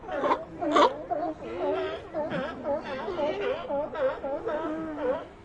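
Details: Colony of sea lions: many overlapping wavering moans and bleats blend into a continuous chorus, with two sharper louder cries at the start.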